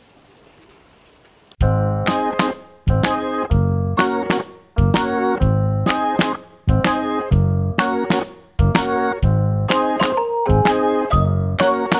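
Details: Quiet hiss gives way to loud electric piano chords struck in a steady rhythm, with no animal voice heard.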